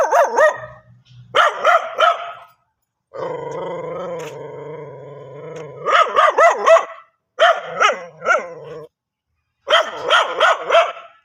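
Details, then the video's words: Dog barking in repeated bursts of three or four sharp barks, interrupted by a long low whining or growling tone in the middle. "dog barking original sound"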